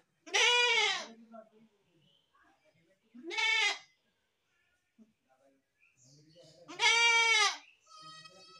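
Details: Baby goat bleating three times, loud trembling calls spaced a few seconds apart, with quieter murmurs and a faint higher tonal sound trailing the last bleat.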